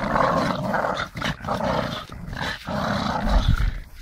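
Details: Staffordshire bull terrier playing with a tyre, growling in a low, rumbling stream that breaks off briefly around each second, with thuds and scuffing from the play.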